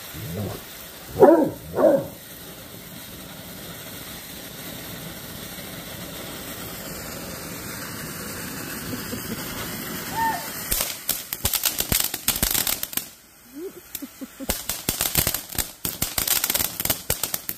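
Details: Great Dane named Obadiah facing a firework fountain: two deep barks about a second apart near the start, followed by a long spell of crackling, fizzing firework noise.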